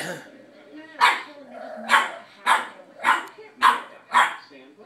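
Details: Puppy Boston terrier barking at a cat, six crisp barks spaced nearly evenly under a second apart, with a talking voice in the background.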